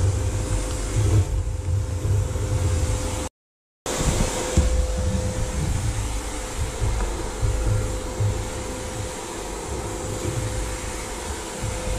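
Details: A loud vacuum cleaner roars with a steady mechanical hum, broken by a short silent gap near the start.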